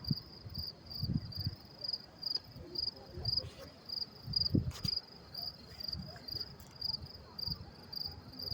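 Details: Crickets at the Mets-Willets Point train station in New York City, around 10:30 p.m. on May 28, 2024, chirp steadily in a high, pulsing trill over a low murmur of voices and city rumble.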